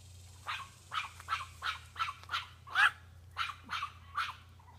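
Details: Chihuahua named Brodie barking at a doe, which stomps back at him; a run of nine evenly spaced, high, sharp yaps about half a second apart over a constant low background hum.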